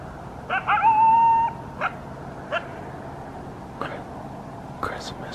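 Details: Coyote calling around 5 am on Christmas morning in southern Arizona, during a wetter than normal end of the year: a sustained wavering howl, then short sharp yips spaced about a second apart against a faint steady hum.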